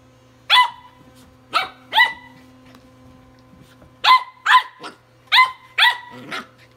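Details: A tri-colour Welsh Corgi puppy battling a Sonicare toothbrush gives sharp, high barks in irregular bursts over the toothbrush's steady electric hum.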